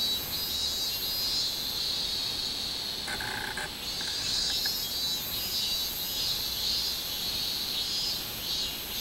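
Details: Summer recording of a minmin cicada, 24 July 2016: a continuous shrill, high buzz with rhythmic swells, broken near the three-to-four-second mark by a few short, lower tonal notes.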